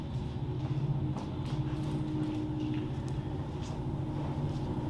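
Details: Low rumbling traffic or train noise outdoors with scattered knocks and no animal voice.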